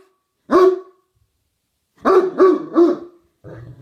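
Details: Male dog giving a twilight bark a few hours too early: one loud, sharp bark, then a pause and a rapid run of three more barks, with a faint murmur at the end.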